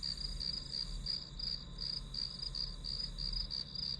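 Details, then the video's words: Grass insects heard as white-noise background for a one-hour study session: a steady, high-pitched chirping trill pulsing about three times a second, with a faint low hum underneath and no other clear sounds. "풀벌레 소리"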